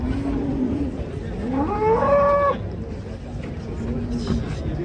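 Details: A huge, cute cow being unloaded from a swaying truck lets out a single rising moo lasting about a second, climbing in pitch then holding steady, with murmuring voices and low background rumble around it.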